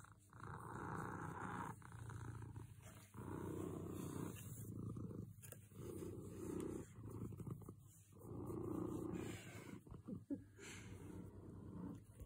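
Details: Happy cat purring up close, a deep vibrating rumble that swells and fades with each breath in phrases of roughly two seconds, with brief quiet gaps between inhale and exhale; no other sounds stand out.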